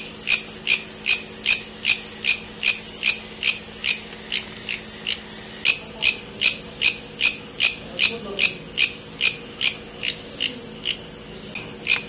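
A bush cricket gives a steady, very high shrill buzz broken by sharp, rapid ticking pulses.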